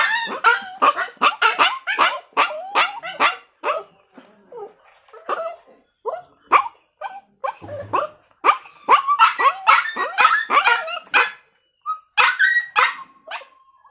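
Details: Puppy yapping in fast bursts of sharp high barks and yips, a short pause near the middle, then more rapid excited barking with some whining tones toward the end.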